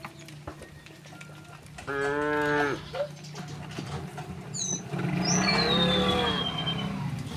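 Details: Domestic cows walking through a village toward their pen on an afternoon; one clear, tonal moo of under a second, then a fainter drawn-out one, over a low steady hum and brief high bird chirps.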